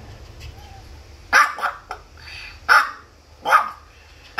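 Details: Maltipoo barking at an animal hospital: a quick pair of yappy barks, then three more spaced about a second apart, with a brief soft voice between them over a quiet indoor hum.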